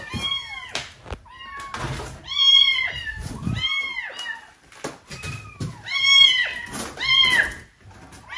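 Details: Kitten shut inside a wall of an empty house awaiting demolition, calling insistently; loud, bright meows bending up then down, repeated in bursts of two or three, with faint knocking and handling noise beneath.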